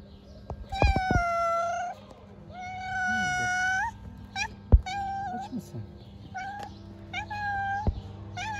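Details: Hungry stray cats living on the street meow while being fed: several long, drawn-out harmonic meows around 0.8 s, 2.5–3.8 s and 7 s with shorter cries between, a brief exclamation of a human voice, steady low hum underneath.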